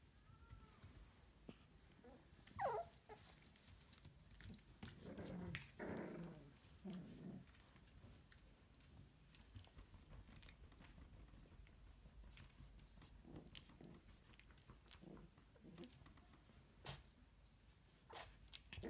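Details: Puppies, filmed from birth to ten weeks old, give a few short whimpers and low growly grumbles in two bursts early on, separated by rustling, handling noises and scattered clicks indoors.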